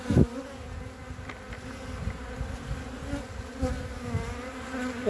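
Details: Many honey bees buzzing on three hive frames on 14 February 2021: an even, low humming drone with a soft knock at the start and light handling sounds throughout.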